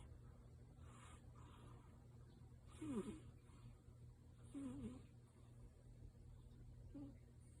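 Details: Tabby cat Yuki sleeping deeply, perhaps dreaming, giving louder than usual 'supi-supi' nasal breathing: faint squeaky whistled breaths near three, four-and-a-half and seven seconds over a steady low hum.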